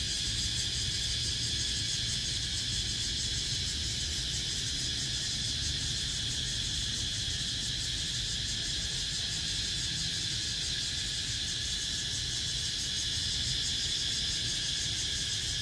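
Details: Cicada chorus from 17 April 2023, an unbroken high, buzzing drone with rapid rhythmic pulsing that holds the same loudness throughout. A soft low-pitched rumble stays in the background.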